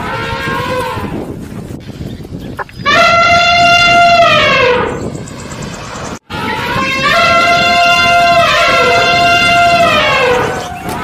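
A cow gives two long, drawn-out moos, the first about two seconds, the second longer and wavering, fairly high-pitched and bright, over a low outdoor rumble.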